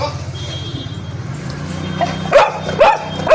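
A Labrador Retriever gives three short, sharp barks, each about half a second apart, after a low murmur of voices.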